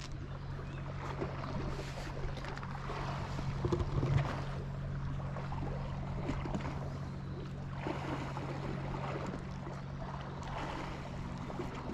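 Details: Seaside ambience of lapping waves and a low boat-engine rumble, with light wind.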